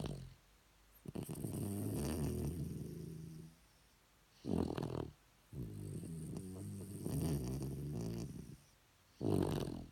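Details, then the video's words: Shih Tzu dog snoring indoors: long rough rumbling breaths of two to three seconds alternating with shorter snorts, separated by brief quiet pauses. "Snoring Shih Tzu"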